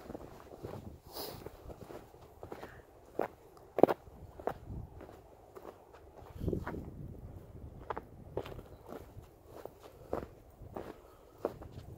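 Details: Footsteps crunch through snow outdoors in a quiet rural setting, with a few faint crackles and thumps between steps.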